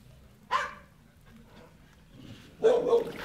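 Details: Dog barking, from a pair named Enzo and Ozzy: two sharp, broad barks about two seconds apart, the first short and clipped, the second longer and fuller, over a low, quiet background hum.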